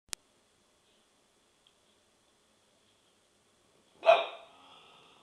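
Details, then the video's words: Remy, a dog given to chronic barking, lets out a single sharp bark near the end after a quiet stretch; an isolated click sounds at the start, and the bark fades into a brief ringing tail. "Remy's annoying chronic bark"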